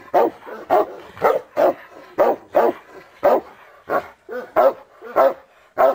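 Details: Taco, a Cane Corso, barking in bite training at its first encounter with a bite sleeve; about ten forceful, evenly loud barks in quick succession, with brief gaps between them.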